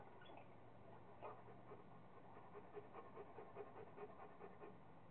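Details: Playful Rottweiler Kingston, busy with a squirrel, panting steadily at about two and a half breaths per second, soft and even against a hissy, low background rumble.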